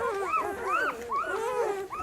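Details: Several puppies at feeding time, nursing from their mother, make overlapping high, rising and falling squeaky whines and squeals in a continuous noisy chorus.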